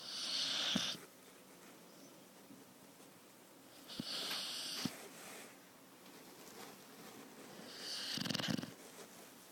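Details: Four-month-old Thai Ridgeback puppy sound asleep in a small room, snoring very loudly: three hissing, rattling snores, each under a second, spaced roughly every three to four seconds with quieter breathing between.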